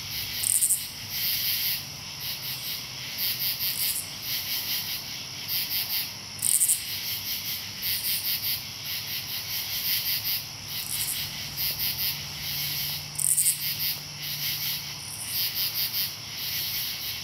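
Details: Katydid soundscape from Marlborough, Connecticut, August 8, 2011: long runs of rapid raspy pulses broken by short pauses, overlapping a dense high insect chorus, with a sharp piercing chirp recurring roughly every six seconds.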